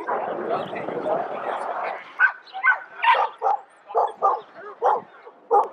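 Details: Norfolk Terrier barking: talking voices fill the first two seconds, then a run of short, sharp, mid-pitched barks and yips follows at uneven intervals of roughly half a second.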